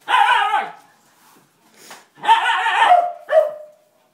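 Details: A Siberian Husky confronts a broom during its first encounter with one, giving loud, rough barks that slide into a short howling whine, then ending in a brief final yelp.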